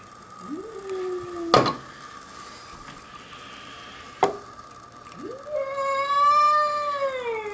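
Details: House cat on a deck in Whistler, British Columbia, confronting a curious young bobcat: two drawn-out rising then level wailing yowls, one near the start and a longer one at the end, separated by sharp knocks, over a steady electrical hum.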